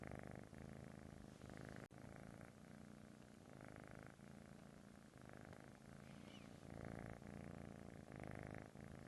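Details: A British Shorthair kitten purrs steadily, a low rumbling buzz that swells and fades with each breath.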